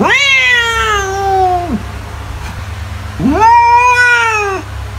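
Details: Cat meowing: two long, drawn-out meows, each rising quickly, holding steady and then dropping away at the end, separated by a pause of about a second and a half, over a steady low hum.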